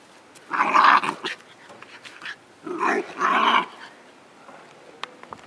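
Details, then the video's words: Scottish Terrier puppy mad at a giant tennis ball: two rasping growl bursts, each around a second long, then quiet with faint clicks. "Scottish Terrier atacking a tennis ball"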